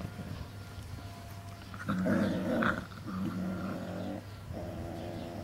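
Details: Cane Corso puppies, 40 days old, playing in a kennel yard: low rumbling play growls in uneven bursts, loudest around the middle, over a steady low hum.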